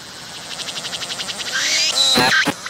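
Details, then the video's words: Cicada singing on a tree, filmed at close range while it pumps its abdomen to call: a fast train of buzzy pulses, about eight per second, swells into a louder rasping buzz with sharp rising sweeps near the end. "鳴いているセミに接近して撮影してみた！I approached the cicadas that were singing and took a picture!"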